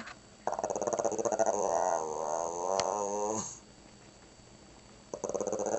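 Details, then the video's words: Shih Tzu named Chona, a "talking" dog saying "grandma": a drawn-out, pulsed growling moan of about three seconds that rises, wavers and falls, then silence before a short new burst at the end. "Talking Dog Says Grandma"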